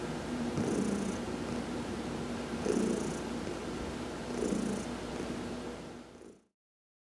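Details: Heidi, a pet cat, purring while massaged during a sun bath on November 19, 2020; a steady low rumble that swells in waves about every two seconds, then fades away at the end.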